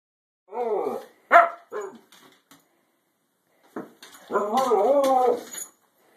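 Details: A female Siberian Husky 'talks' in wavering, drawn-out woo-woo sounds that bend up and down in pitch, objecting because she wants to go back outside.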